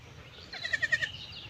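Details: Farm goats grazing beside a pond in a Bangladeshi village; a short, quavering bleat about half a second long, pulsing roughly five times in quick succession, over a quiet rural background.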